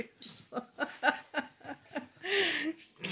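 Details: Rapid human speech broken into short syllables, followed by a burst of laughter, in a small indoor room with no animal sound.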